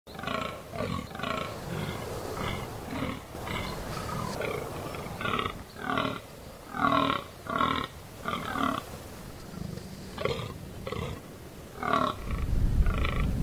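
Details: A fallow deer buck groans during the rut in the Amsterdam Waterleidingduinen dunes, giving deep, hoarse, belching grunts in a steady series.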